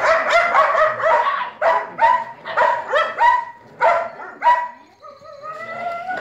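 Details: Belgian Malinois puppies born on 11 May 2017, giving a run of high, whiny yelps in quick uneven bursts, about nine in a row, ending in a drawn-out rising whimper.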